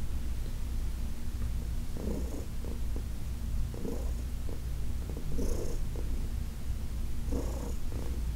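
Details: Massage session on August 4, 2021 with Heidi, a senior rescue cat, purring contentedly; a steady deep vibration broken by soft breathy bursts recurring every one to two seconds.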